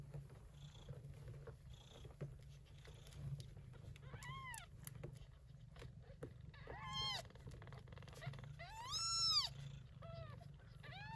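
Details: Persian Chinchilla Shorthair mother cat caring for kittens born during a typhoon in early September; steady low purring throughout, with several high arched kitten mews rising and falling around the middle and end.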